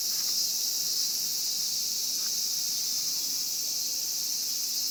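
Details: Japanese cicada sound: an intense, unwavering high buzzing wall with no pauses, other sounds barely present.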